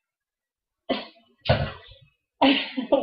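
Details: Three short, rough bursts like coughs or throat clearing sound in a small room, with no animal voice.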